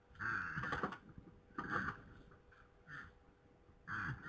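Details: Two red deer stags fight at night in Poland, 21:01 on 3 November 2017: four short, harsh, hoarse grunts about a second apart, separated by near silence, over a faint constant hum.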